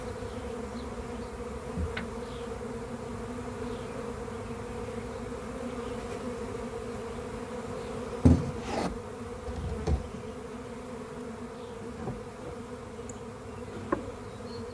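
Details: Honey bee swarm in a backyard, being captured into a hive: a steady low droning hum holds throughout, with a few knocks and thumps near the middle and end.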